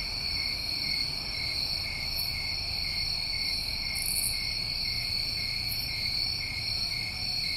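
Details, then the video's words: A dense cricket chorus recorded in New England summertime: steady layered high trills throughout, interrupted by a few quick buzzy accents, with faint rumbling background noise. "Over 1 Hour Of Tinnitus Masking With Crickets"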